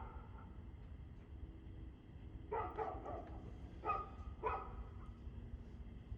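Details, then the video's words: Dog barks recorded 2/6/2024 at 6:02 pm: after two quiet seconds of low rumbling background, a run of rough barks, then two more spaced single barks near the fourth and fifth seconds. "Barking Dog"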